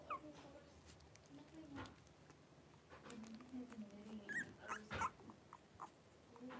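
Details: Five three-week-old blenheim Cavalier King Charles Spaniel puppies wrestling and playing together in an indoor puppy pen. Low, wavering growls mix with short, high whimpers and squeaks, punctuated by scattered bumps and rustling.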